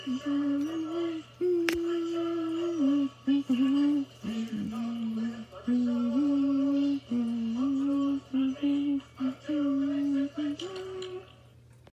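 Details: A woman sings a slow, gently wavering melody indoors over a faint low hum.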